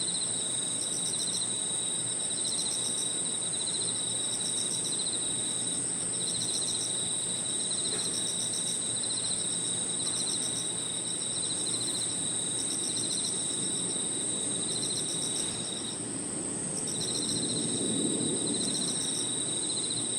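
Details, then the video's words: Evening insect chorus in a park, crickets among other insects, giving a continuous high ringing tone plus bursts of quick pulsed chirps that start and stop every second or two; faint low hum underneath. "Harmonious sound of crickets and other insects 저녁 공원 풀벌레 소리"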